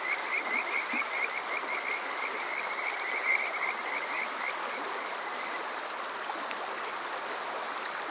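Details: Summer-night Kajika frog in Yokoze, Chichibu district, Saitama, Japan, recorded on a TASCAM DR-05X: a quick sequence of high, bright trilling notes fading after a few seconds, backed by constant rushing water.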